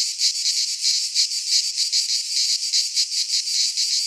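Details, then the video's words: Cicadas singing in midsummer in a Greek pine forest: a dense, high, hissing buzz that pulses in quick waves, with no other sounds. "Cicadas singing in midsummer"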